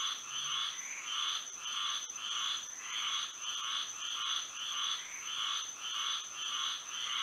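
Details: Night chorus of frogs in Florida by moonlight, pulsed trilling croaks swelling in regular bursts roughly every half second, several frogs overlapping, over a constant thin high-pitched drone.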